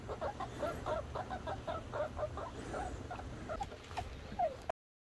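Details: A red squirrel called Little Red gives quick, repeated nasal chucking notes in a fast chattering series.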